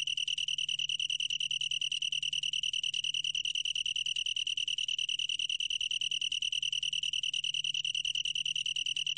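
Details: A long-tailed tree cricket trilling continuously in a bright, high, pulsing stream without pauses. The pitch stays level and the rhythm is steady and regular, with a quiet low hum underneath.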